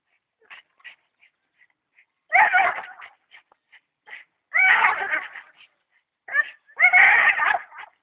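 A Staffordshire Bull Terrier gives three drawn-out, wavering whining cries with soft clicks and taps between them.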